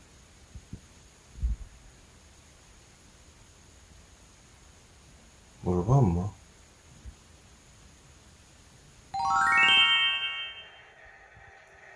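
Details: Quiet room with a brief spoken phrase around six seconds, a few soft knocks, and a bright ringing chime near ten seconds; no animal sound.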